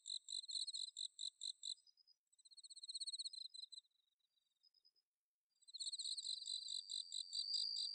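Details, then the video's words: High insect song of a bell cricket in Japanese rice paddies at Inba-numa, Chiba, autumn night, Zoom H6 recording: rapid pulsed chirps, a quieter fluttering trill, a short lull, then loud repeated chirps with a ringing tone on top. "秋の虫の鳴き声 スズムシ コオロギの鳴き声"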